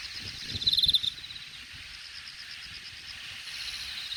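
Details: Grass insect in late summer grass at Hangang Park's Jamwon district, Korea, August 2021: one bright, rapid pulsed chirp near the start, then a faint steady high hiss with low rumbling background noise.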